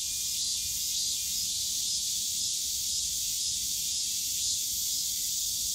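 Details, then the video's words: Dense cicada drone filling a summer day in Yongsan Family Park's bamboo forest, a continuous sizzling high buzz with slight pulsing, distant low park rumble underneath. "용산가족공원 대나무숲 매미소리"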